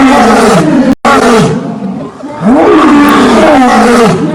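A lion gives deep, harmonic roaring groans that swell and fall in long arcs.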